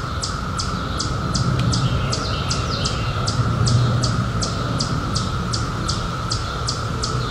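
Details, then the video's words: A continuous shrill hum from cicadas, emerged in 2021 after a seventeen-year hiding, runs beneath a brisk series of bright, clicking chirps about three per second, over a low murmuring background. "CICADAS 🌿 Sounds"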